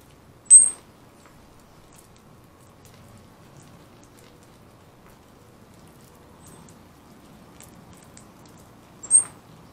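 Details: Round-tailed ground squirrel, described as ready for hibernation, giving two short, sharp, very high-pitched whistles roughly eight and a half seconds apart over a quiet low background hum.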